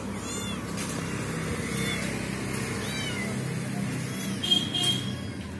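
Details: Mother cat trying to rescue a trapped kitten; a few faint, arching meows at scattered moments over broad rumbling background noise, possibly traffic.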